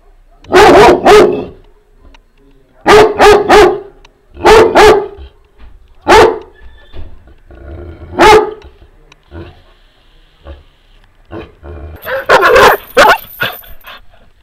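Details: Two Šarplaninac dogs barking loudly together, deep barks in short bursts of two or three that sometimes sync into a rhythm.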